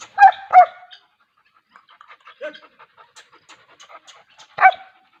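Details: Wolf dog, a breed popular in Pakistan and Sindh, barking twice in quick succession, then soft panting and small noises, and a final single loud bark after a pause.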